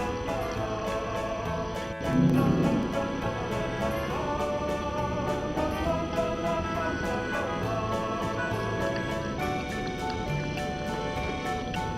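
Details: Background music with singing and a rhythmic beat fills the whole stretch, no animal voice.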